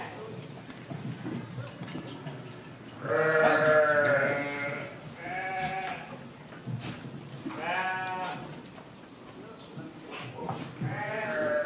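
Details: Goats bleating during feeding time at a goat boarding farm in Virar, Mumbai: several loud, quavering, harmonic-rich bleats in quick succession, each about a second long, with a busy farmyard hum beneath.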